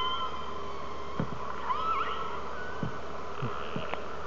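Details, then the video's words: Underwater hydrophone recording of orcas talking to each other near Telegraph Cove, British Columbia, heard from a whale watching boat: wavering tonal whistles with quick up-and-down squeals, brief clicks and low thumps over a constant hum. "The sounds of Orca underwater"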